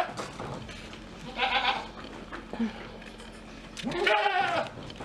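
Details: Cameroon goats in the Novosibirsk zoo's domestic-animal village, a family with newborn kids, 1 February 2024, bleat twice, each a wavering, nasal cry with strong harmonics.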